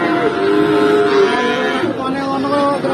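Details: Feeder cattle at the Pati cattle market, Indonesia, one lowing in a drawn-out, steady harmonic moo lasting about a second, over a busy background of crowd chatter and market noise.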